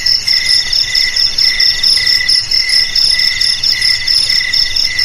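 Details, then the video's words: Crickets calling together in a steady chorus: a loud pulsed high trill pulsing about twice a second, over a lower continuous ringing trill and another shrill band beneath, with no other sounds. "Suara JANGKRIK"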